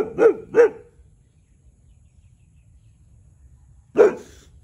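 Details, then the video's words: Tyrion, a one-year-old Boxer dog, barks territorially at a neighbouring cow to make it quiet: two quick deep barks in a row, then a long pause and a single bark. "Boxer dog barking telling cow to shut up"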